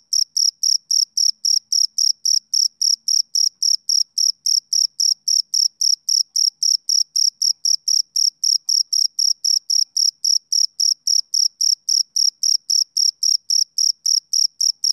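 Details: Summer-evening chirp of a male cricket, an unbroken run of even, shrill pulses at close to four per second for the whole stretch, background otherwise quiet.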